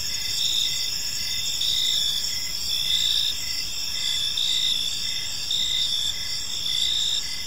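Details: Crickets chirping on an evening in a peaceful park: steady high trilling bands layered with a pulsed chirp that rises and falls about once a second, several insects overlapping, faint low background rumble.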